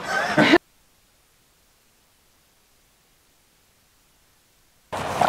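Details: Brief bursts of a man's speech open and close the recording, separated by about four seconds of complete silence.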